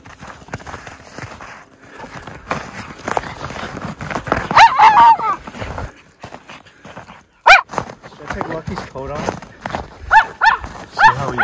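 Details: Miniature Schnauzer brothers Lucky and Levi romping through tunnel trails of deep snow in January after two weeks of snowy weather; several short, sharp barks with harmonics come mostly in the second half, mixed with a person talking and crunching footsteps.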